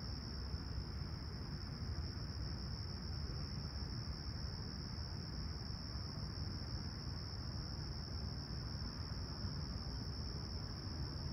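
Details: Summer sunrise chorus of chirping crickets at Humber Bay Shores, Toronto, on a clear, calm 28 July 2020 at 20ºC: a constant shrill high trill without breaks, layered over a loud low rumbling hum.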